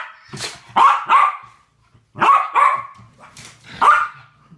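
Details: Two West Highland White Terriers at play together, giving loud yappy barks in doubled bursts separated by short pauses, with faint low rumbling between.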